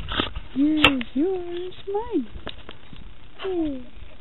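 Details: Red heeler Australian Cattle Dog giving four short, tonal whining calls that bend up and fall away like yodelled moans, with a sharp click between the first two and faint background noise.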